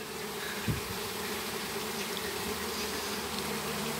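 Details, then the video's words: Flying swarm of Apis mellifera honey bees being captured in a backyard in Campo Grande, Brazil; steady dense buzzing hum throughout, with a brief thump near the start and a man talking nearby. "Captura de Abelha Apis Mellifera!"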